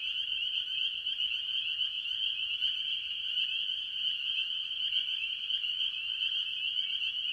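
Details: Early-year farm pond chorus of tree frogs, mostly spring peepers: countless piercing high peeps overlap into a continuous ringing drone, with softer lower trills underneath and no gaps.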